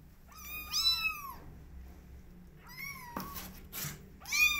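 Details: Young cats asking to be let outside give sharp, high mews in quick pairs, with scuffing and tapping sounds between the cries in a small room.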